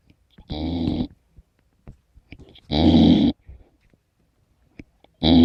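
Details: A 15-week-old Golden Retriever puppy snores, with rough, rumbling breaths repeating every couple of seconds.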